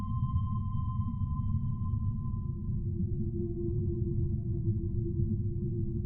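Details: Humpback whale song: a long, even, mid-pitched tone with faint harmonics fades and gives way to a lower sustained moan, set against a deep, continuous underwater rumble.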